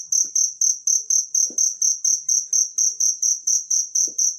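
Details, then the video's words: Natural cricket sound, meant as tutoring material for songbirds: high, clean chirps pulsing steadily about twice per second, each chirp sharp and metallic, with a few faint low knocks in the background. "suara jangkrik alam"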